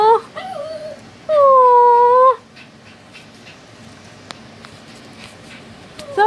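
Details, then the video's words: Pet dog indoors crying over people leaving and scared of fan noise: a few short wavering whines, then one long steady high cry lasting about a second, and a quick rising whine at the end, with a soft click between. "My dog muffin crying over people leaving and she scared of the noise from the fan"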